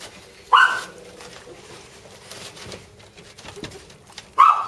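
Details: Jack Russell terrier puppies, a brother and sister, giving two short, high-pitched yipping barks, one early and one at the very end, with a quiet stretch of faint rustling between them.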